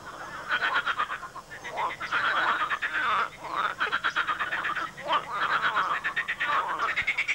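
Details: Many frogs croaking loudly in a swamp, possibly in mating season; dense overlapping pulsed croaks in bursts, some rising, sounding almost continuous with brief pauses.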